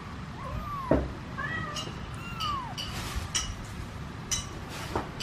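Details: Mother cat and kitten in a cardboard box, the kitten meowing while the mother meows to ask people for help getting it out; three thin, arching meows in the first three seconds, then scattered knocks and rustles over a steady background hiss.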